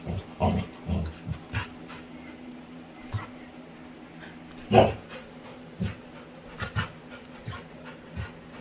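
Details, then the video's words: Winry, a female Labrador retriever playing with her owner, gives short breathy panting bursts with one louder voiced yelp-like sound near the middle, while faint rustling and handling noises fill the gaps. "Cutest Dog Makes Funny Sounds While Playing"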